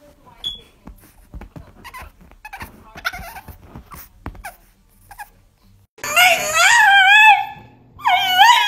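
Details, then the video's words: French Bulldog pet 'talking' indoors: after a few seconds of faint clicks and quiet sounds, a loud, wavering, moaning howl rises and falls for about two seconds, then resumes briefly. "French Bulldog Talking"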